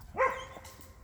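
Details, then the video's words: Belgian Malinois, a single short bark on a walk outdoors, a sharp harmonic yelp that rises and falls quickly, followed by faint rustling. "Un chien aboie"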